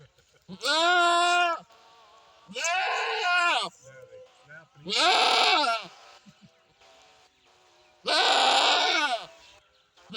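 A goat gives four loud, wavering bleats, each about a second long, spaced roughly two seconds apart.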